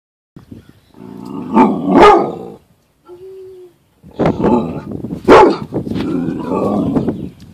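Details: A Rottweiler gives deep, rough barks in two long bouts, with a short whine between them, apparently reacting to a caterpillar.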